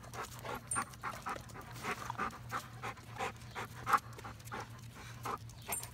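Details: Dog named Odin panting, soft breathy bursts coming unevenly, about one every second or so, over a faint steady low hum.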